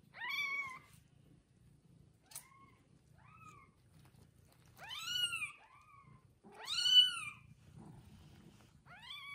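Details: Newborn kittens one day old with their mother cat: a string of high meows of varied length. Some are faint and short, others loud and arching, with pauses between them and soft low background hum.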